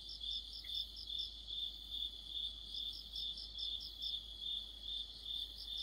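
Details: Insect orchestra of crickets in mid-autumn: an even, shrill pulsing note repeating about twice a second, overlapped by a faster, thinner chirping voice higher still, all against quiet background.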